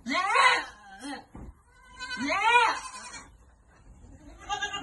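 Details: Farm goats receiving vitamins give a loud, quavering bleat, a second rising-then-falling bleat a moment later, and the start of a third as the recording ends.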